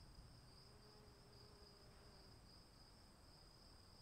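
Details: Crickets calling in the rain: a steady, high, unbroken shrill trill with a fainter, even higher ringing tone above it, set over a constant hiss of falling rain and a low rumble, with a faint lower hum briefly present.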